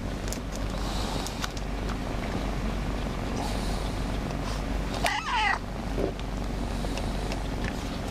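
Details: A shy, newly adopted pet cat, usually hidden, comes out meowing to ask for cuddles: a single short, tonal meow about five seconds in, bending up then down, over a steady low indoor hum and soft rustling.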